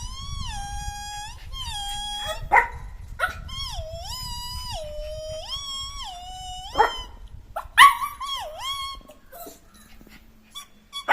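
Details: Jack Russell terrier puppy at play, let loose: long, tonal whining howls that bend up and down in pitch, broken by a few short bark-like bursts, over a low steady background rumble.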